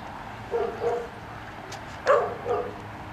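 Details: Dog yips heard during retriever training, with black Labrador Retriever Finn working a double on water and puppy Breck, five months old, as a distraction; two soft whining yips, a pause, then a louder pair of squeaky yelps.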